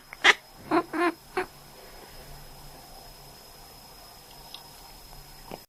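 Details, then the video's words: Sleeping male domestic cat reacting to its owner coughing: one sharp cough-like burst, then three short nasal quacking sounds in quick succession within about a second, followed by a quiet indoor room. "Sleeping Cat Quacks When His Owner Coughs"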